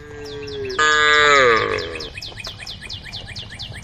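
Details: Female cow calling a herd of tame cows on a forest road: a softer steady tone, then a loud, rich, slightly falling moo lasting over a second. Rapid, repeated bird chirps run through the background.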